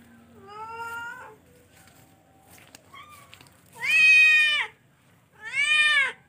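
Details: Loud, insistent meows from a charcoal F1 cat: one medium call, a brief chirp, then two long, strong, bright-toned wails with a nasal, arching quality, in a quiet room.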